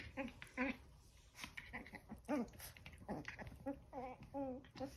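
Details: Eleven-week-old Chihuahua puppies tussling over a towel indoors give high, wavering whines and yelps in quick irregular bursts, some rising and falling, with a person speaking at times.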